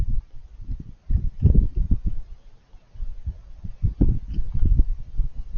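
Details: Raccoon munching while it eats. Clustered crunchy bites come in short rapid runs with brief pauses between the bouts.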